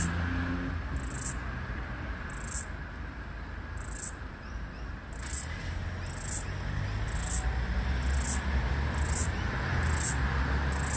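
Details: Floury baker cicada (Aleeta curvicosta), the last heard in Australia's summer of 2022/2023, calling near a busy street: short high buzzy pulses repeated about once per second over steady low traffic rumble.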